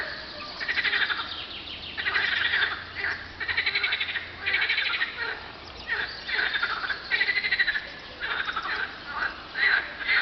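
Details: On a hot spring day, 24 April 2012, at 50.935752, 34.829053, frogs call in rapid, rattling pulsed bursts that overlap into a busy chorus.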